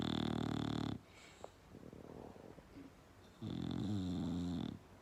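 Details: Bulldog snoring loudly, one heavy rasping snore ending a second in, soft breathing and faint shuffling, then another long, low, gravelly snore.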